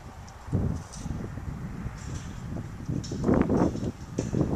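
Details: Violet, a young female pileated gibbon in Santa Clarita, California, contentedly eating yellow apples: irregular crackly crunches and wet chewing bursts, growing louder in the last two seconds.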